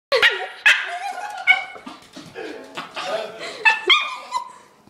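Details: A pet dog begging for food indoors: a run of short, high, tonal whines and yips with bending pitch, coming in quick bursts of varying loudness over a few seconds, with some faint human voice mixed in.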